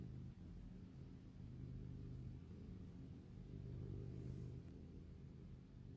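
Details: Tigris, a small long-haired tabby pet cat, purring while relaxed: a steady, low, soft rumble with faint even pulses that holds throughout and swells slightly in the middle, with no other clear sounds.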